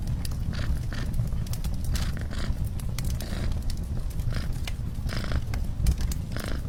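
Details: Indoors near an open fire, a cat keeps up an unbroken, rumbling purr while wood crackles and pops in short bursts.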